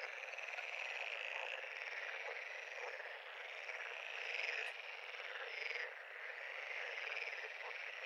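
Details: Many frogs calling together at a pond, their rasping trills merging into an unbroken, hissing chorus that rises briefly in volume near the middle and again toward the end.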